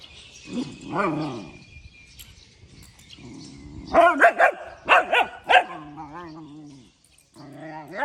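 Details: A puppy barking early in the morning: an opening drawn-out whine, then a rapid cluster of five sharp yaps, followed by a steady harmonic whine and another rising whimper, with a faint high tone running across the first seconds.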